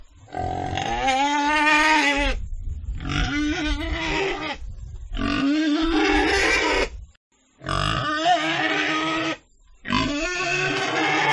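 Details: Pig squealing loudly in five long, harmonic, wavering bursts, each lasting one to two seconds, separated by brief pauses.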